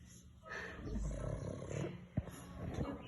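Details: A 7-year-old pug from Rio de Janeiro snores while awake, a low, rough, rumbling snort with a sharp sniff near the end; its flat brachycephalic muzzle makes it snore a lot.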